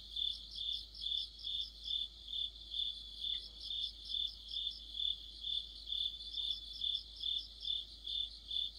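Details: Crickets and other insects singing in mid-autumn near a streetlight: high, shimmering chirps pulsing steadily about twice a second, with a fainter overlapping chorus just above; one brief soft chirp near the middle.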